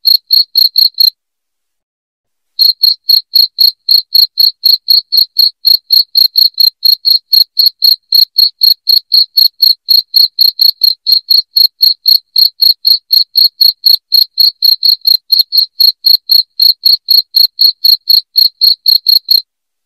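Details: Shrill cricket chirps meant to repel rats indoors, beginning with a few pulses, a short pause of about a second and a half, then a long unbroken run of rapid chirps at roughly four a second.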